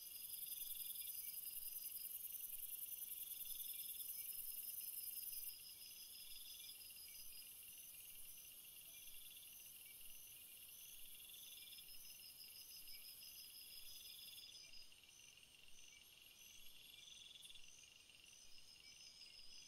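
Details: Crickets call together in overlapping high trills. A loud, piercing buzz dominates the first few seconds, then softer pulsed chirps repeat roughly every second against a continuous shimmering background.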